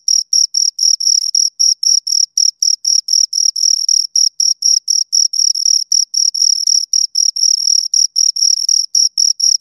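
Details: Two crickets chirping at close range, sharp high-pitched pulses repeating around four times a second, bursts of varying length with brief gaps, clean and free of other noise.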